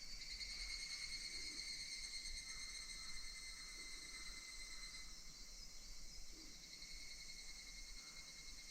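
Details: Higurashi cicadas at summer's end, recorded in August 2026 across Minoh Park, Kawachinagano and Koyasan: a steady, shrill high-pitched chorus with a fine pulsing texture, easing slightly after five seconds, over a faint low rumble.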